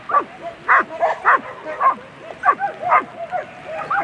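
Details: German Shepherds barking at a world championship agility event, A3 class on Sunday; sharp, harmonic barks come in quick irregular bursts, roughly two per second, with voices in the background.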